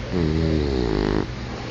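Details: Asleep indoors, Max the English bulldog lets out one long, buzzy, rasping snore lasting about a second, rich in low tones, before it fades back to a quiet room hum.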